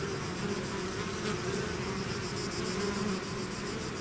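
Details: Bees swarming out of their hive: an unbroken, even drone from many insects, low humming tones layered over a broad hiss, with one short sharper flyby.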